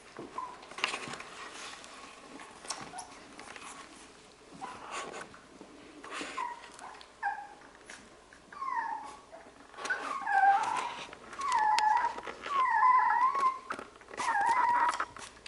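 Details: Labradoodle puppies playing indoors; high whimpers and yips, short at first and then longer wavering cries repeated near the end, with faint rustling in a small room.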